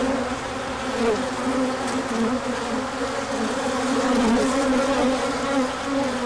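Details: Bees out on a large orientation flight in sunshine following cold days, 24 March 2024. Droning wingbeat tones overlap and drift, rising and dipping as individuals pass close, over a continuous buzzing background.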